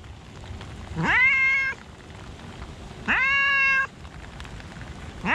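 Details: In a park during rain, a cat gives two clear meows two seconds apart, each sliding up from low and sustaining a bright tone, a third beginning at the end, over steady rainfall hiss.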